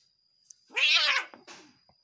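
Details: Angry cat confronting its partner: a strained, wavering yowl about half a second long, rich in harmonics, followed by a shorter rough burst. A steady high-pitched whine hums in the background.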